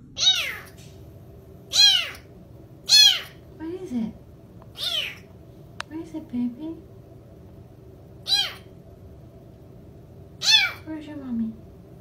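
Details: Kittens meowing: a string of high, arched meows, each rising and then falling, about eight over twelve seconds at uneven gaps. Softer, lower descending sounds and a few spoken words are heard between them.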